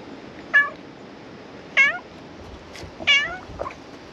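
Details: Black cat at a shrine, coming out from under the floor to be petted. It gives three clear, falling meows, spaced just over a second apart, against faint outdoor background noise.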